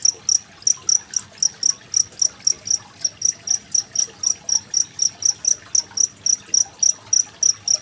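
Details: Cricket of the genggong type chirping with gentle water in the background, used for mastering competition songbirds. Piercing high pulses come evenly, roughly four per second, with a low murmur underneath.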